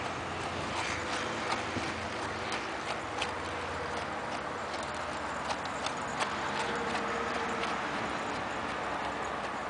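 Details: Hoofbeats of an Arabian horse worked in a figure-eight pattern: crisp, evenly spaced thuds and clicks, close to three a second, steady throughout against faint background noise.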